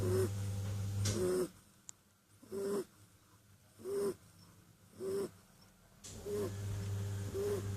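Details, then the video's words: Kitten asleep and snoring: clear breathy bursts, each topped by a short whistled squeak, roughly every 1.3 seconds, with quiet gaps between and a low background hum. "Snoring kitten"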